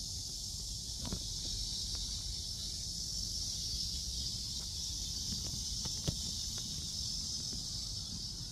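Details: A cicada chorus recorded while walking through Seoul Innovation Park at around 11 am on July 11: continuous shrill buzzing holds steady throughout, broken only by scattered footsteps and clicks below.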